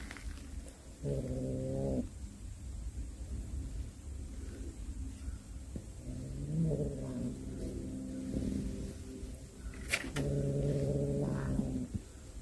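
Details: Cat that has brought home a snake it hunted, giving low, drawn-out moaning yowls. The first lasts about a second, with a rougher stretch in the middle and another long yowl near the end, over a low background rumble.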